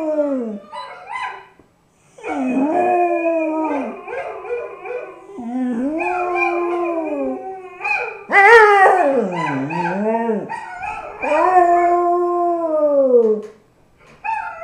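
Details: Ricky, a pet dog, howls along while listening to music: long wavering tonal howls sliding up and down, several drawn-out phrases with brief breaks, some rising sharply then falling, a few short yips between.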